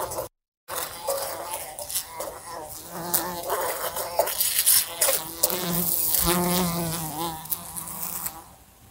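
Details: Fly in a room beside a lamp, repeatedly bumping into it; loud, continuous droning buzz rising and falling in pitch, with frequent clicking impacts and a short silent gap near the start.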